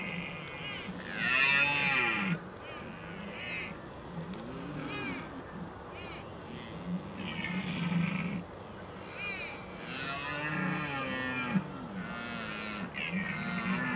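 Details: Rutting red deer stags filmed at the Oostvaardersplassen, 15 October 2011, give deep, rising-then-falling moaning roars in a series, while bright bursts of higher calling from other animals come and go overhead.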